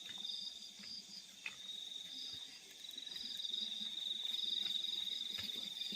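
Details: Night chorus of crickets in fields, a steady shrill high trill overlaid by short bursts of pulsed chirps, growing gradually louder toward the end over a soft low background hum.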